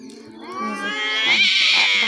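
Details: Domestic cats fighting with outside cats: a rising, strained nasal yowl climbing in pitch and swelling louder over two seconds, with harsh upper overtones.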